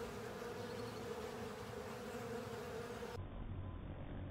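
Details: Honey bees and companion insects on a honey filter, a steady droning buzz for about three seconds, then the sound turns duller and muffled toward the end.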